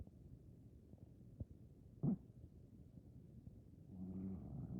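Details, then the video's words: A Maine Coon cat aged 15 or more snores softly while sleeping and dreaming, a low rumbling breath broken by one brief snort. "Maine Coon Cat Snoring and Dreaming - Munch 01"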